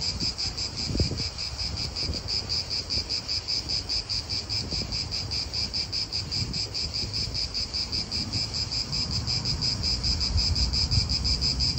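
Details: A steady, high-pitched pulsing drone of cicadas fills an Italian park. Gentle wind and faint low background rumble run beneath it throughout.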